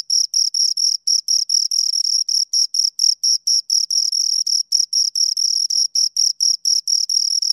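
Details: Two crickets rubbing wings to chirp, giving a sharp, high, metallic pulsing about four times per second, some pulses stretched longer, steady volume and no background noise.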